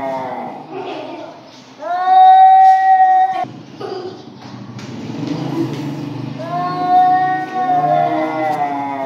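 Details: Dangerous standoff between two cats, with low grumbling followed by a loud drawn-out yowl that holds steady, a pause of rumbling growls, then another long wavering howl.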